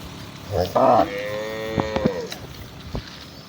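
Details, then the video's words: Village cattle, part of a herd of hundreds being driven home from the fields to their barn in the afternoon, in Indonesia; one short low moo, then scattered knocks and clatter. "suara mooo khas sapi desa lucu"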